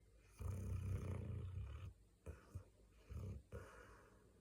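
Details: Gangdol, a large mixed-breed pet dog, snoring in its sleep like a person: one long, low, rumbling snore of about a second and a half, followed by three shorter, softer snorting breaths.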